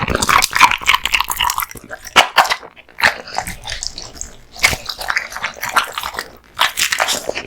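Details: American Bully named Kotetsu, male, devouring raw meat and bones indoors; bursts of crunchy, smacking bites separated by short quieter gaps, a few sharp cracks standing out.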